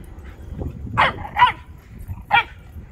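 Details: An American Akita chasing a Shiba Inu gives three short, sharp barks, spaced unevenly over a few seconds.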